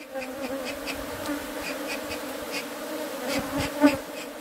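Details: A continuous low bee hum holds steady at an even pitch for over four seconds. Soft ticking and rustling noises run through it, and there is one brief louder knock near the end.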